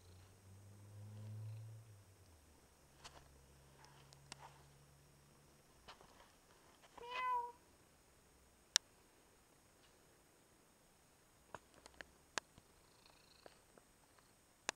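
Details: Russian Blue cat in a pet-sitter's care, uttering one clear, tonal meow that rises then falls, preceded by a low steady hum and followed by scattered small clicks and taps indoors.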